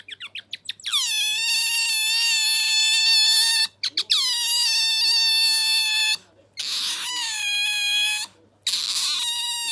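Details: Bingo, a pet otter, voicing his new rolling squeal: rapid ticking onset, then loud, long, level harmonic squeals of several seconds each, separated by brief silences, above a constant low hum.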